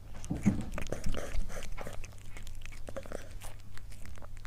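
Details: A cat eating, recorded close up indoors: rapid, irregular crunching and biting clicks, about three a second, over a steady low hum.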